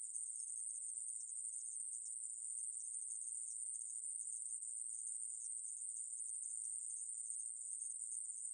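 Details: Aemaeburi, a Korean conehead katydid, in a 2020 recording from the National Institute of Biological Resources: an unbroken, very high, hissing buzz held steady from start to finish, with no other sounds.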